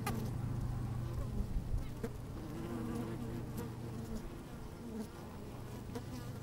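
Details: Honey bees busy at work inside an opened hive on a fine, sunny day, microphone slid down among them: a steady low hum with shifting buzzy tones, frequent clicks and brief scrapes as bees move about, light wind.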